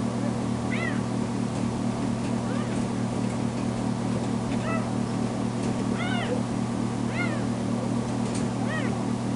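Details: Kitten Tamera, a foster cat home from being spayed, calls out when left by herself; separate arched meows roughly every second, partly masked by a loud steady background hum.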